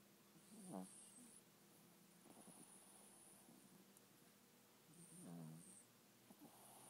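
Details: Little dog sleeping and snoring: quiet, raspy inhalations with a throaty rattle, recurring every few seconds, in a hushed indoor room with faint background hiss.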